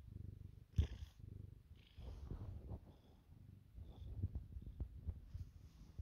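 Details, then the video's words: Pet cat purring while receiving bedtime head rubs, a low continuous rumbling purr pulsing with each breath, interrupted by brief soft rustles and a sharp knock near the start. "Cat purrs from bedtime head rubs"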